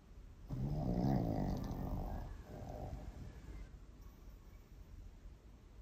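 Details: Elderly Maltese dog that now sleeps a lot, dozing soundly at someone else's house: one long, rough, low snore lasting about three seconds, followed by quieter breathing in a small indoor room.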